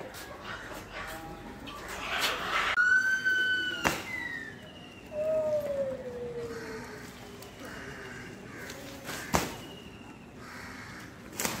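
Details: An Asian elephant in Sri Lanka, on May 3, 2023, gives high, tonal squeals that slide downward, with faint voices and knocks behind.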